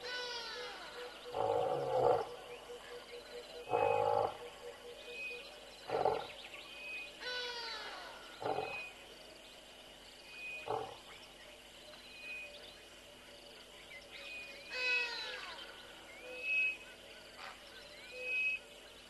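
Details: Greedy, a male lion on early morning patrol at Tembe, gives a series of deep, grunting roars about every two seconds while birds chirp behind.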